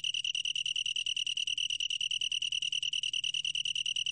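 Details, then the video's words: Continuous high-pitched trill of a long-tailed tree cricket: clear, tonal pulses repeated very quickly and evenly, about two or three per second, with a soft low hum in the background. "긴꼬리, 여러번 듣기, 곤충소리"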